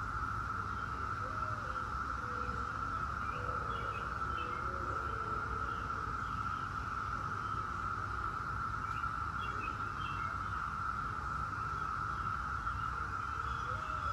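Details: Brood X 17-year periodical cicadas in a steady, unbroken droning chorus at one high pitch, with scattered short bird chirps and a low rumble of background noise throughout.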